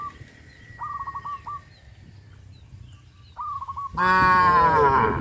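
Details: Cows being led out to green grass fields; short trilled chirps from another animal come in brief bursts, then one loud, drawn-out, rich moo fills the final second.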